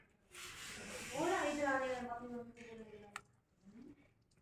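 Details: Hungry baby kitten giving one long drawn-out meow that rises and then falls, with a rich harmonic tone, after a burst of rustling. A short, faint mew follows about two seconds later in a quiet indoor room.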